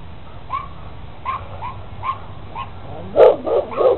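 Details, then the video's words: Rottweiler with a red stud collar charging back and forth along a fence, barking and growling; soft, evenly spaced yips followed by three loud, harsh barks in quick succession at the close. "Insane Rottweiler 2 Running In Circles Jumping On Fence big dog barking growling runs back and forth"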